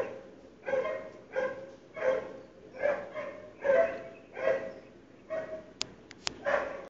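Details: Dogs barking one February 2012 morning, heard from inside with windows and doors sealed: regular harsh barks about every three-quarters of a second, with two sharp metal clanks toward the end.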